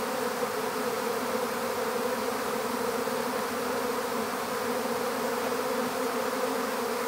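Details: Honey bee swarm drone while being collected into an empty hive: a uniform, unbroken mass buzz holding steady throughout, no other sounds.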